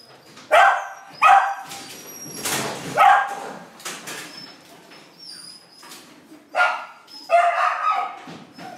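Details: Border Collie at a breeding session in Long Biên, Hanoi, Vietnam, on 15 November 2016; a few short, sharp barks or yips stand out between stretches of people talking in Vietnamese.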